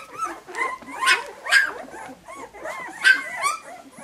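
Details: Puppies whimpering and yipping in short, high, slightly wavering cries, a few per second with brief pauses between bursts.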